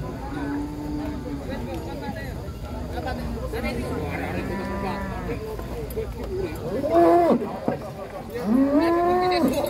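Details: Giant cows taken off a truck at an Indonesian pen. Two short, strained moos arrive late, each a quick rising-then-falling low bellow, with music playing throughout and people talking.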